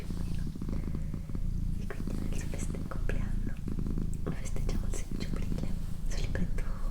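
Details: Domestic female cat purring at home, an even low-pitched throbbing purr sustained for the whole stretch, with quiet whispering and occasional light clicks in the background.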